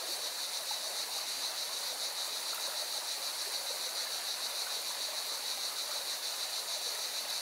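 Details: Beside a mountain river in Valencia, Spain, cicadas keep up a continuous high, vibrating buzz with a quick throbbing rhythm, while the stream's rushing water fills the background.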